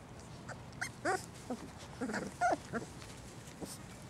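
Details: Six puppies at play time; a series of short high yips and whimpers, squeaky and irregular, some with rising pitch, among soft rustling and thumps.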